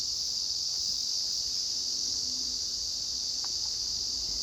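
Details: Cicada recorded by the filmer, species not named: unbroken, intense high-pitched buzzing drone that stays even throughout, with faint low background noise.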